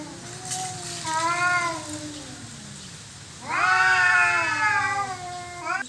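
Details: Territorial fight between domestic cats: a wavering mid-pitched yowl, a quieter drawn-out moan, then a loud, harsh, sustained scream from about three and a half seconds onward.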